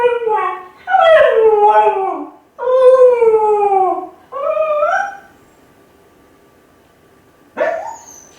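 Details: Kai Ken dog left home alone, lonely and howling as if calling its family to come home quickly; four long wavering howls that slide downward, each about a second or more, then silence and one short rising yelp.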